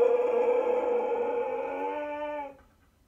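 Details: Zeus, a stubborn Siberian Husky, protesting about going for a walk: one steady, drawn-out howled tone holding level for over two seconds before fading out abruptly.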